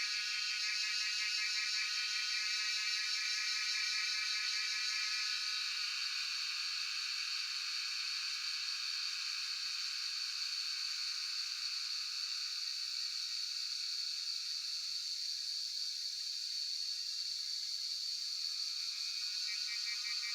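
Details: Cicadas, locally called Jhyaukiri, recorded on a cellphone in Shivapuri National Park at Tarkeshwor: a steady, dense, high buzzing chorus with a bright ringing tone and pulsing lower rattles that fade and return through the recording.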